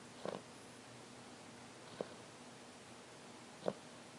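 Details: Little dog asleep and snoring: three soft, short snorts about every 1.7 seconds, heard faintly in a quiet room.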